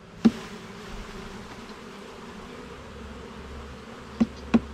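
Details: Low, even drone of honey bees at a garden hive being inspected frame by frame, broken by three hard knocks of equipment, one at the start and two near the end.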